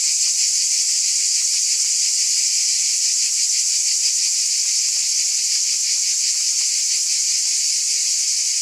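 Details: Cicadas buzzing in a dense, unbroken high-pitched drone with a fast shimmering pulse running through it, steady in loudness throughout, no other sounds.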